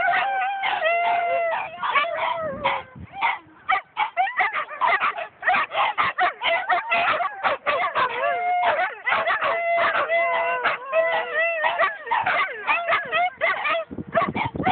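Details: A dog howling in a park along with other dogs: several overlapping wavering howls and yips, rising and falling tones layered together, continuous through the clip with short breaks; recorded on a phone.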